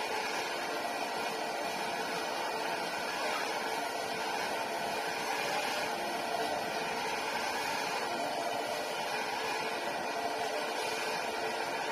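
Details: A steady broadband hiss and mechanical hum, like a small-room appliance, fills the recording with no animal voice.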